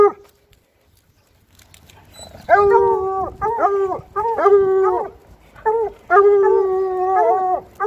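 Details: Bluetick Coonhounds howling as they walk through town: after a quiet stretch, a run of five or six drawn-out baying howls, each level and lasting up to a second, broken by short gaps.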